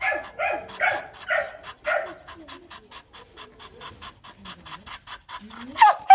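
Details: Female H'Mong bobtail dog giving demanding, non-aggressive barks at a lowland breeding farm; four or five quick high barks in the first two seconds, then quieter sounds with a person speaking and a final sharp yelp.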